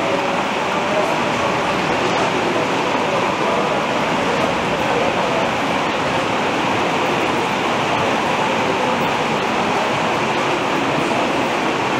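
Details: Steady broadband rushing noise, like wind or running water, continues unbroken with no animal sounds.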